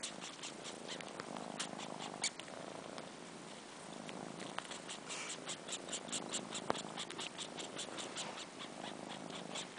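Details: Kitten purring while sucking on fur, four months old and missing its mother. Low, quiet purr with loud, sharp slurps and smacks, one click standing out near the end.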